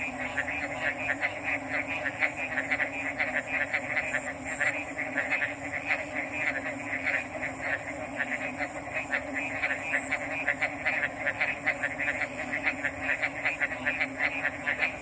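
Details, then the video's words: Dense frog chorus: a crowded, rattling mass of short pulsed calls continues without break. A whining high tone comes and goes over a steady low drone. "RELAXING ORIGINAL FROG'S SOUNDS"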